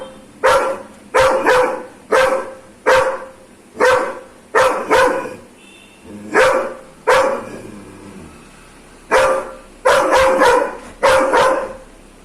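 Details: Aggressive Doberman barking in a long series of sharp, forceful barks, often in quick doubles or triples, with short pauses between volleys.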